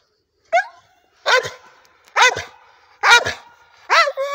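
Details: An old Staffordshire bull terrier, worked up over a rope swing while digging about, gives sharp, strained barks with whiny overtones, about one per second.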